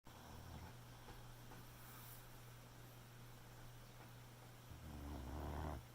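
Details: Boxer puppy asleep at night, giving one long, low, rumbling snore near the end after a quiet stretch, over a steady low electrical hum.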